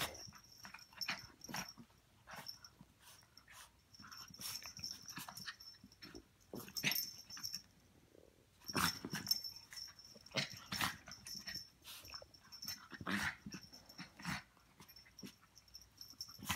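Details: Two pet dogs playing, a Chihuahua and a Pomeranian named Munchkin, with Bear: quiet wheezy huffs, snorts and short scuffling bursts come in irregular clusters, over a faint steady high-pitched whine.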